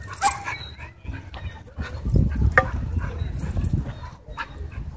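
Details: Dogs let loose in rough play at a dog park: irregular short barks and yips, some high and sharp, over low scuffling noise.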